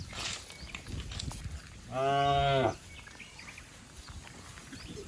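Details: Cattle herd leaping and running down a green hill in a village setting; one harmonic-rich moo lasting under a second stands out mid-clip over rustling ground noise.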